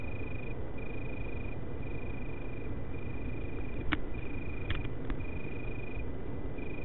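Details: Italian tree crickets, males singing in Berlin on 24 August 2013, give a pure, even trill broken into repeated bursts of about a second with brief gaps, set against a loud low rumble and several sharp clicks.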